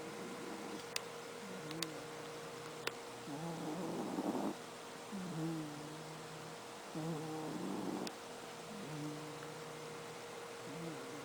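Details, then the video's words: Domestic cat snoring like an old man while asleep; slow, rough breaths about every three to four seconds, some with a wavering nasal tone, over a steady background hum and a few faint clicks. "SNORING KITTY CAT"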